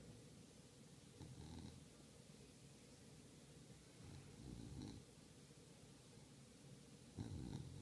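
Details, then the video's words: Low, throaty snorts from an English bulldog, three short rasping bursts spaced a few seconds apart against a constant background hiss. "40 seconds of true confession with english bulldog"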